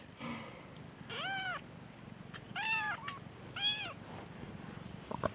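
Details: Peterbald kittens born October 2013, one of a litter of four F1 from a Peterbald mother and an Oriental Shorthair father, giving three thin, high, arched meows about a second apart, each rising then falling, over faint background hiss.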